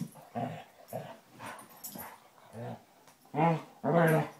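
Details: Basset Hounds Tracker and young Ranger play-fighting: short, rough growls and grumbling barks about every half second, ending in two louder, drawn-out howling barks with clear stacked tones.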